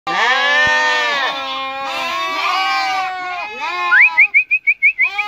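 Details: Turcana sheep lambs kept for sale near Easter bleat in long, wavering, strongly harmonic cries that overlap, followed by a series of short, rising whistled chirps repeated about every quarter second.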